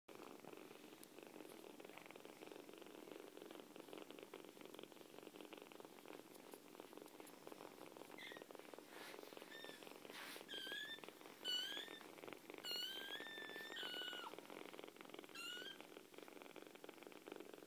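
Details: Kittens purring heavily: a soft, steady rumbling purr runs throughout, joined near the end by a few short, high squeaky chirps.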